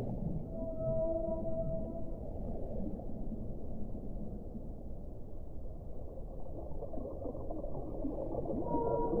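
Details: Whale song: faint, drawn-out tonal moans hold steady at a middle pitch near the start and again at the end, above a constant dense rushing hiss.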